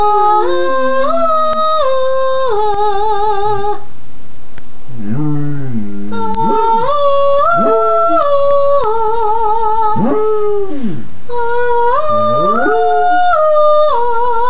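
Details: Sport the Basset Hound being taught to sing: a woman's stepped, sustained notes dominate while the dog joins with repeated arching howls that rise and fall in short curved bursts.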